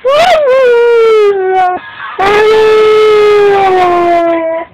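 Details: A six-month-old Siberian husky puppy "sings" along to the song Poker Face in two drawn-out, tuneful howls, the first wavering and dropping, the second holding steady before easing lower.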